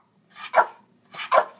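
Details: A female Lhasa Apso, asked her age and whether she is three, answers with two quick, sharp barks about three quarters of a second apart.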